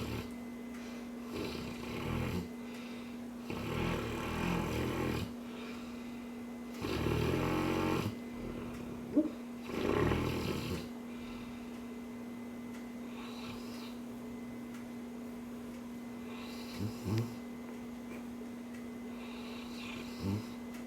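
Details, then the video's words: Cane Corso snoring while dreaming indoors: broad, rough breathy snores in irregular bursts, some long and loud, with quieter snuffles between and a steady electrical hum in the room. "cane corso snoring/dreaming"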